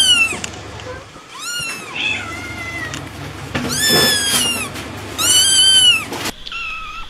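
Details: Meowing kitten for ASMR, giving a run of loud, harmonic-rich cries of varying length, some rising then falling, two long wavering meows in the middle, ending with a softer, shorter call against faint room noise.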